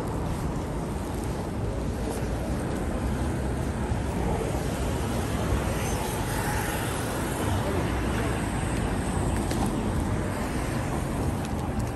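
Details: Steady outdoor city noise, mostly traffic rumble and wind buffeting the microphone, with faint speech in the background and no animal voice heard.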